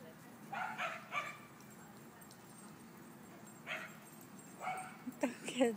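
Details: Dogs playing at a dog park bark in short clusters: a pair early, one near the middle, then a quick run of higher yips at the end, with a person talking.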